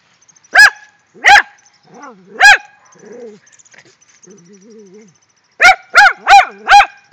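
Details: Two pet Rat Terriers, wound up over a found shrew: three sharp barks, then soft wavering whines and low whimpers for a few seconds, ending in a fast burst of four barks.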